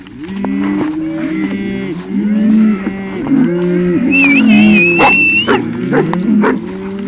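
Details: Several cattle being driven to a new pasture by a Cattle Dog and a "Kampfhund" moo in long, low, overlapping calls that sometimes bend upward. A high, sustained human whistle sounds midway, followed by a sharp bark.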